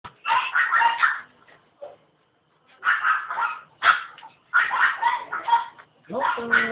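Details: Proven stud Norwich Terrier, grizzle-coloured, born July 2006, from the Sampaloc area, during a third mating session at night: clusters of sharp harmonic yelps and whines in short bursts separated by brief pauses, with a person speaking right after.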